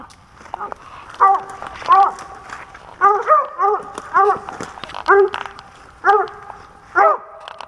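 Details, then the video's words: Pennsylvania squirrel-hunting dog, 2021, barking in single and double barks about once a second, with rustling, footsteps and faint human noise underneath. "Squirrel Hunting Pennsylvania With A Dog"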